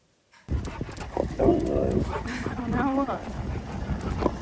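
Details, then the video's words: Husky, a fluffy male dog, happy while being given all of his favourite things indoors; wavering, whiny talking vocalisation with rising and falling tones and short whimpers over about four seconds, mixed with a person's affectionate speech. "Giving My Husky ALL Of His Favourite Things! He’s So Happy!"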